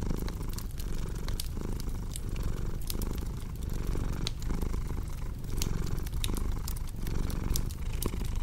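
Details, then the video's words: Domestic cat purring steadily, a low rumbling drone that swells and dips with each breath about every 0.7 seconds, layered over the sharp pops and snaps of a crackling fireplace. "Purring Cat"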